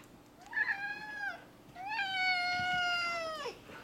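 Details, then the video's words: Zebulon, a four-year-old male cat, meows indoors while talking about a lizard: two long harmonic meows, the first short and falling, the second drawn out and level before dropping at the end. "Cat talks about a lizard"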